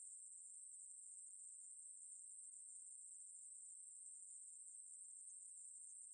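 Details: Katydid of the genus Ruspolia, from National Institute of Biological Resources material, 2020, giving a sustained high, hissing buzz at constant pitch and loudness, with nothing else audible.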